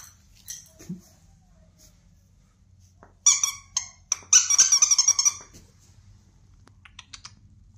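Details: Bernese Mountain Dog making thin, high-pitched squeaking whimpers, first a few short yelps, then a longer wavering squeal of around one second, followed by fading faint squeaks in a quiet room.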